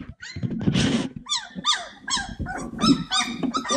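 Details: Cane Corso puppies at play making squeaky, down-sliding yelps and whiny yips, with a burst of rough hissy noise and low rustling underneath.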